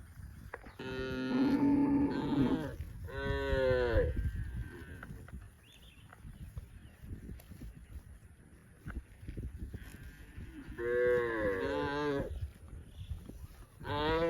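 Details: Cows grazing in lush green rice fields give deep, drawn-out moos, several in a row with pauses between them.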